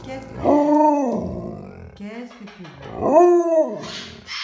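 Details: Alaskan Malamute giving funny barks: two drawn-out, arching woo-woo howls, each rising then falling, separated by low grumbling, with a brief noise at the end.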